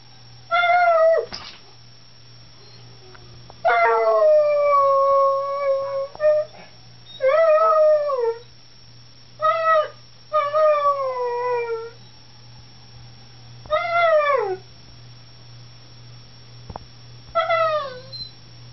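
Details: Domestic dog joining in with sirens outside, giving a series of howls, some short and some long, often sliding downward with bright harmonics, about seven bursts in under twenty seconds separated by pauses, with a constant low hum behind.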